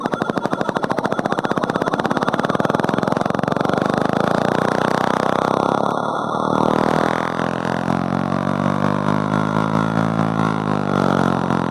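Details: A loud mechanical drone, like a boat engine, fills the recording, rattling at first and then settling into a smoother harmonic hum. No animal calls come through.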